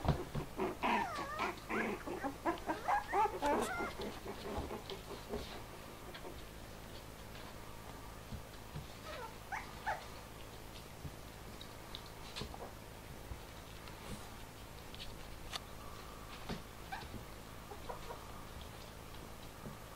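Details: Excited four-week-old Bichon Frise puppies play and play fight after first leaving their basket, giving a busy run of growly yaps and squeaks for about four seconds, then only faint scattered whimpers and rustling.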